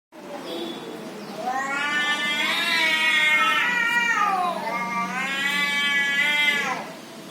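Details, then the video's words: Cat making weird noises: two long drawn-out yowls, each swelling and bending in pitch with strong harmonics, the second starting about five seconds in, over a quiet background. "CATS MAKING WEIRD NOISES!"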